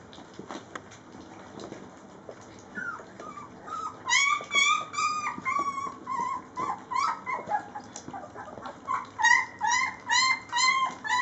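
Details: Three-week-old Rhodesian Ridgeback puppies from Layla's litter at feeding time: high, wavering whimpers and yips begin faintly, then swell into repeated rising-falling cries about every half second from several pups.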